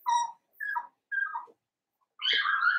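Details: A young Blenheim Cavalier King Charles Spaniel, one of five puppies born at New Year's, in an indoor pen. Three short yelps fall in pitch one after another, followed by a longer, louder, wavering whine.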